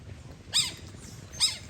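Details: Otters basking in the sun and playing with each other give two short, high, arching squeaks about a second apart, faint hum in the background.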